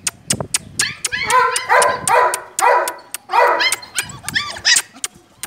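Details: Single-coat German Shepherd puppies, 34 days old, giving high whining yelps and whimpers with bright overtones, in quick overlapping bursts among sharp clicks and knocks.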